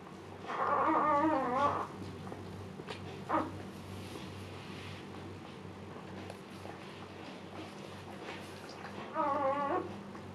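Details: Female Siberian Husky Luna during her second labor, giving birth to puppies and calm: two tremulous, wavering whimpers, the first over a second long, the second briefer near the end, separated by quiet indoor hush.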